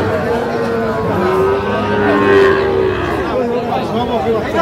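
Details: A long, level, low moo from Sahiwal bull calves at a Mymensingh, Bangladesh cattle market on 19 April 2025, with buyers bargaining loudly and market crowd noise all around.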